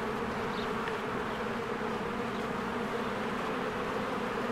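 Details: Busy honeybees working diligently around their hive among blooming spring flowers; a constant layered buzzing drone fills the air, broken only by a couple of faint high bird notes.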